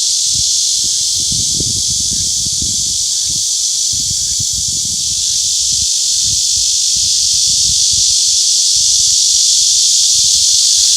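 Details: Cicadas give a continuous, shrill, hissing buzz that holds steady and loud for the whole stretch without pause, with faint low rustling and thumps underneath.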